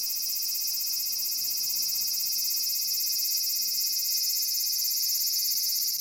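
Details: Continuous hissing drone of a large brown cicada (Aburazemi) calling from a persimmon tree in Japan, high and harsh with a slight fine pulsing texture, steady in loudness over several seconds.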